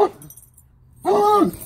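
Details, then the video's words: Bluetick Coonhound baying a skunk: the tail of one bawl, silence, then a clear drawn-out harmonic bay about half a second long, holding steady pitch before dropping off. "Bluetick coonhound baying a skunk"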